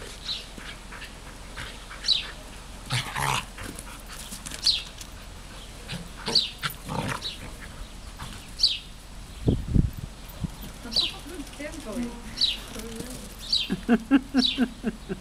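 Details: A smooth collie and an old labrador having fun together, with short rough growly vocal bursts, yips and snorts repeating every second or two, some scuffling, a thump near the middle and rapid clicking pulses toward the end.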